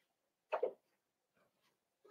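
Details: Indoor puppy pen, 12/13/22: Cavalier King Charles Spaniel puppies meet several familiar bigger dogs and are offered puppy mash. A sharp double yip rises briefly, then soft whimpering squeaks follow, with a short low whine at the end.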